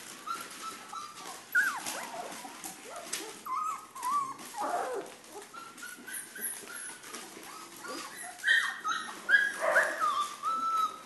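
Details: Pyrenean Mastiff puppies, three and a half weeks old, from the Querida de la Tierra Alta litter, giving repeated high whining whimpers and yips that rise and fall, overlapping in an irregular chorus, with some scuffling.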